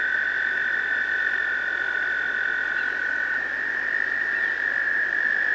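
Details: Spring breeding chorus of American toads in a pond, males calling to attract females, usually in May: a continuous high, buzzy-musical trill runs the full length, while a thinner, higher trill overlaps through the first half.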